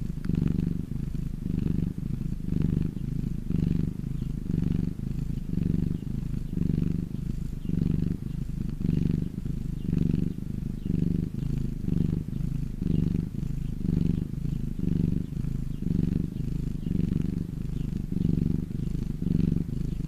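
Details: House cat basking in the sun gives a long unbroken purr, a low vibrating drone rising and easing with each breath, roughly one cycle per second over twenty seconds.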